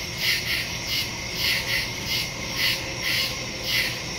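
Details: Nighttime woodland crickets, September 2, 2023, captured by phone with a Shure MV88+ stereo mic. High, shrill chirps come in regular bursts roughly every half second, with soft background hiss.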